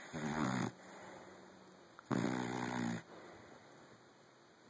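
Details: Sleeping Saint Bernard puppy named Teddy, five months old, snoring: two rough, rasping breaths each lasting most of a second, roughly two seconds apart, with quieter exhalations between them in a small indoor room.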